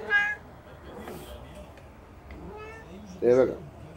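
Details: Four house cats calling for food on 20 March 2019; short meows at the start and end, a louder harsh cry near the close, mixed with soft human speech in between.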